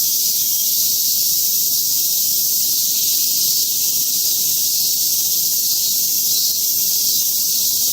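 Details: Cicadas singing at Mount Atago: a dense, continuous high-pitched hissing drone with no breaks, holding steady throughout without any clear pulses.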